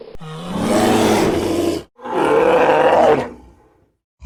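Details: Brown bear roaring: two loud, harsh, broadband roars, the first about two seconds long and the second slightly shorter, separated by a brief silence.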